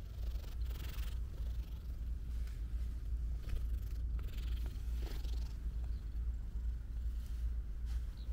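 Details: Cat purring on a sunny morning, a steady low rumble throbbing in a regular breathing rhythm throughout, with faint rustling and soft background noise.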